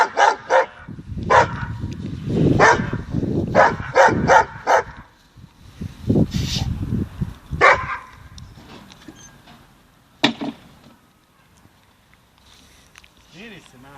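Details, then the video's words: Dogo Argentino barking: a burst of loud, harsh barks repeated rapidly through the first eight seconds, then one sharp isolated bark near ten seconds, followed by quieter faint sounds. "Argentinska doga Dogo Argentino"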